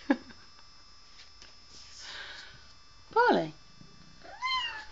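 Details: Bengal cat on top of a door indoors, letting out two drawn-out meows, the first loud and bending downward, the second softer and arched, with a woman's exclamations just before.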